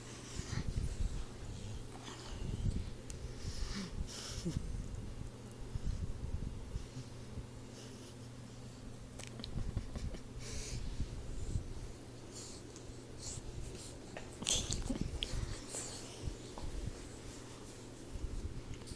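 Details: Snoring from Troy, a sleeping 4-month-old Boxer puppy: deep, rasping snorts that recur roughly every two to three seconds, with a steady low background hum indoors.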